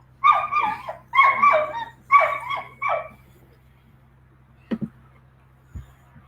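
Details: Boxer dog giving four wailing, yodel-like barks in quick succession, each rising then falling in pitch, followed by a couple of soft thumps and a steady low hum.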